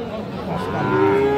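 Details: Friesian or crossbred heifer calf at the Tuesday Aftabganj market, Nababganj, Dinajpur, Bangladesh, 3 December 2024. A short moo swells into a steady, louder tone at the end, with crowd voices beneath.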